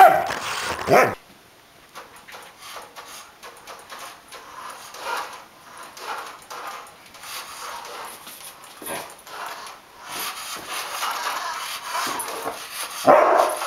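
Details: Pet Samoyed dog chased by a remote-controlled toy armadillo; a short harmonic whining yelp opens, quiet scuffling and faint rustle follow, then another bright whimpering burst near the end.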